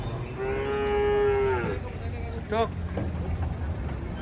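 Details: Giant cattle being unloaded from a truck: one long, steady, harmonic-rich moo lasting over a second, then a brief wavering second call, over a low rumbling background.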